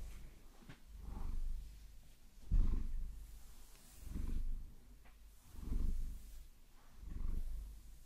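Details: Maine Coon cat named Vasilisa, a pet being caressed and massaged with long nails, which she enjoys, recorded in binaural sound; low rumbling purr swelling in breathy pulses about every one and a half seconds, with faint scratching.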